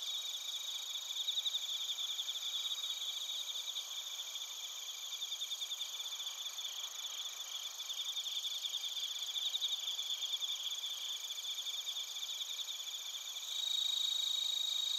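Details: An insect chorus of bell crickets and other crickets in Narita, Chiba, Japan, recorded on a TASCAM Portacapture X8. Many high, buzzy pulsing trills blend into a continuous ring, and a nearer singer grows louder at the end.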